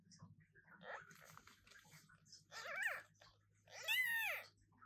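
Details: Newborn British Shorthair kittens meowing indoors; after quiet rustling and soft murmurs, two rising-falling mews grow louder, the last the strongest and shrillest, over a steady low hum.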